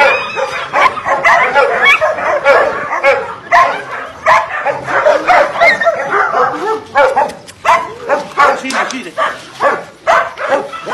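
A litter of Belgian Shepherd puppies yaps and yips in a busy, overlapping chorus, with human voices mixed in.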